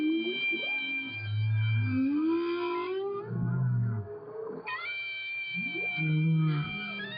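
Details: A whale heard through a hydrophone as a clarinet is played to it underwater from a boat; low moaning whale notes near the bottom sweep and hold, while steady clarinet tones with rich overtones run above them.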